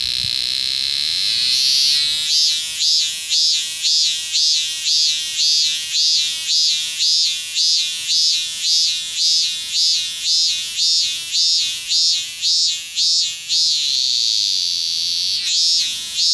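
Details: Robust cicada calling loudly: a continuous high shrill drone pulsing in rapid, regular wavering beats, about two per second, sustained for over ten seconds before a brief pause and restart.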